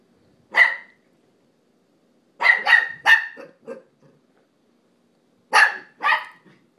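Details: Indoor dog on a couch barking at a second dog that appears indifferent; a single bark, then a burst of three rapid barks trailing into softer yips, a pause, and two more barks, with quiet between bursts.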